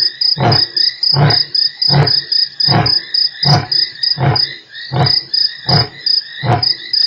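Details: Lion at Nkorho on 3 March, part of a roar: deep, short grunts repeated about every three-quarters of a second, steady in strength, backed by a constant high pulsing of crickets.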